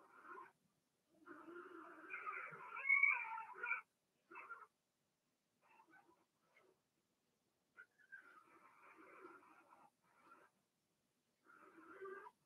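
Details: Blenheim Cavalier King Charles Spaniel puppies from a litter of six, two girls and four boys born March 7–8, in an indoor puppy pen during potty training; bursts of harmonic whining and squealing cries with short silent gaps between.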